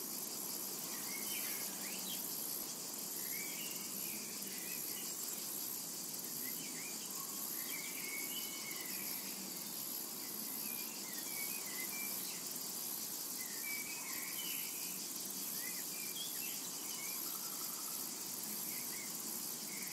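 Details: Summer meadow cicada chorus, a steady hissing drone high in pitch that never pauses, with frequent brief twittering bird notes sprinkled through the background.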